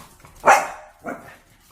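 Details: One-year-old albino Bichon Frise puppy waiting at the front door indoors, answering with sneezes: two short, sharp, breathy bursts about half a second apart, the first loud and the second softer.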